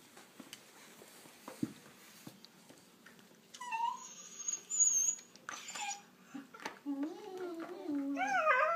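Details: Shiba Inu puppies indoors, playing with toys and 'talking' as they fight over one toy. Soft clicks and chewing give way to high, wavering whines and yodel-like warbling moans that rise and fall, growing louder toward the end.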